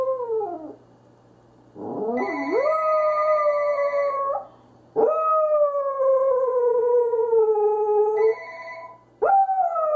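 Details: Confused Corgi howling indoors in long, drawn-out wails rich in harmonics, each rising sharply at the start and then holding or slowly sliding down, three main howls with brief pauses between.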